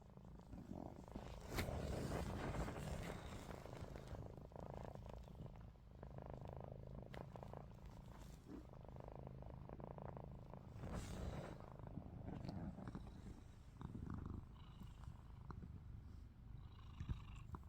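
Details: Ruby the cat snores open-eyed while another cat, Lupin, a Russian Blue, watches and disrupts the filming; a louder throaty rumble surges rhythmically, with bumps and rustling noises.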